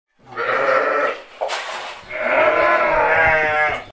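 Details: A sheep gives two loud, nasal bleats, the second longer and wavering.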